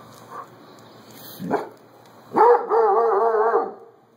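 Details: A Doberman going nuts with no one around: a single sharp bark, then a sustained wavering howling cry lasting over a second before fading.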